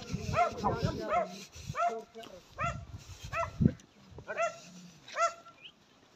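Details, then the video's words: Dog barking in a series of sharp, harmonic barks, roughly one every second with gaps, mixed with low rumbling and handling noise; a man's voice praises it just before. "کھوجی کتا سچ یا جھوٹ"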